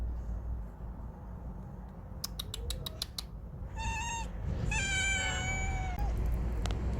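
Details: Huddled domestic cats called good brothers: a quick series of clicks, then two clear, nasal meows, the second longer and slowly falling. Low rumbling background noise throughout.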